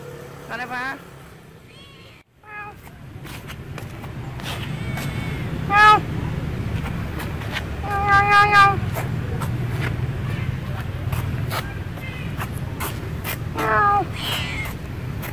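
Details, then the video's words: Bopha, a female cat in Siem Reap, Cambodia, meows while walking after the camera. Scattered meows, the clearest a cluster of rising harmonic cries around the middle, over steady low traffic rumble and voices. "look this cat "Bopha" walk & meowing follow the camera"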